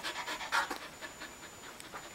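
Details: Samoyed husky mix dog panting while doing tricks on command; quick soft breathy pulses, about four to five per second, fading toward the end, with a person giving commands.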